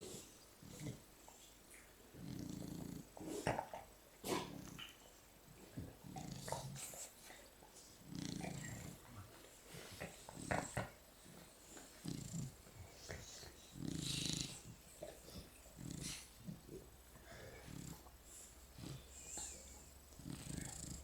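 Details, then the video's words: Three Shar Pei dogs sleeping and cuddling together indoors snore in soft, noisy rasping breaths, irregular bursts roughly every second or so, with faint rustling between them. "snoring and cuddling sharpeis"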